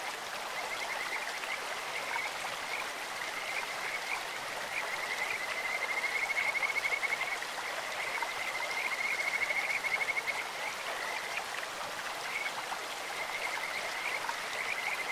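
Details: Kajika frogs call in a clear stream, their high, bird-like trills drawn out into long sustained runs that swell in the middle of the recording, over a steady wash of flowing water.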